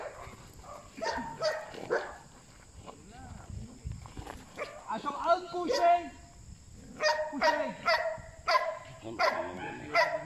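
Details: During bite work training, Belgian Malinois Asyong gives bursts of short, harsh barks, some in quick pairs and a run of five near the end. A human voice talks and calls in between, over a steady high background hum.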